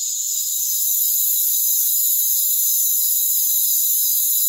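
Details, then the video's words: Crickets in a rainforest form a dense, steady, high shrill chorus, with overlapping thin trilling bands and no low sounds beneath. "Rainforest Crickets"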